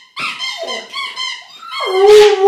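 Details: A Vizsla gives a wavering, high-pitched whining howl that slides up and down in pitch, a habitual reaction to a squeaky toy that a giggling young girl is squeaking for him.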